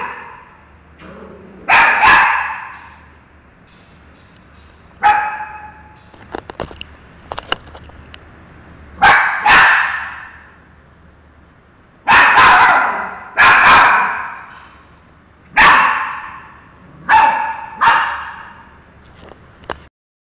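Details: Miki, a pet dog, barks at a mango: about nine sharp, loud barks come singly or in quick pairs at irregular gaps of one to three seconds, with a low steady hum in the background.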